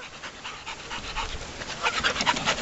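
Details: Seven-week-old puppies from a July 2013 litter, brought to a lake with the big dogs on a trailer ride, panting in soft, quick, breathy bursts with a few faint high whines over low outdoor rumble.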